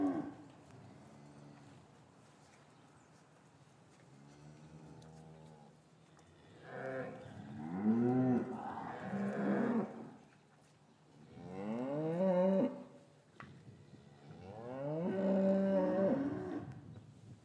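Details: Lowing cattle in an English farm yard, winter afternoon, calves separated from their mothers; a series of overlapping moos, some soft and distant, others loud, wavering and strained, several animals calling over about seventeen seconds.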